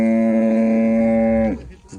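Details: Jersey Cholistani cross cow, offered for sale, gives a loud, steady moo. The rich, even tone holds for about one and a half seconds, then drops away sharply into quiet.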